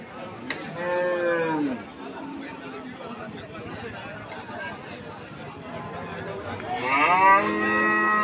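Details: At a cattle market, cattle give a falling moo near the start and a rising, louder moo toward the end, amid continuous murmuring crowd chatter.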